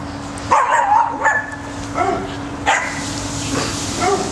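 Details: Cocker spaniel Max, scared to go into a tunnel that keeps his treats from him, gives a few short, high, yelping barks and whimpers, spaced about a second apart, over a steady low hum.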